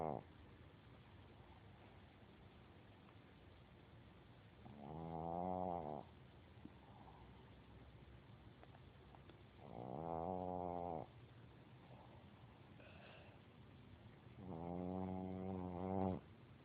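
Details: Boston Terrier snoring while sleeping, three long rasping, harmonic-rich snores about four to five seconds apart, each lasting around a second, with quiet breathing between.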